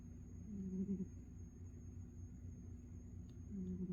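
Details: Ninjan the cat, asleep, gives gentle rhythmic snores: a low humming breath near the start and a second one three seconds on, quiet room with a faint steady background hum.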